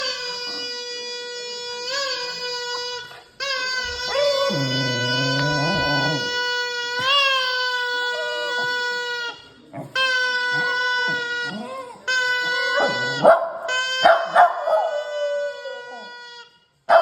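A puppy howls in long, steady, high-pitched notes broken by short pauses.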